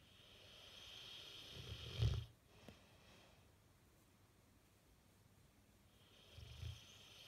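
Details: Bullmastiff sleeping and twitching, one short throaty snore followed by a quiet gap and a softer second snore near the end.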